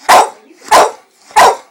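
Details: Staffordshire terrier barking angrily indoors after its owner calls it a wanker; three loud, harsh barks come about two-thirds of a second apart.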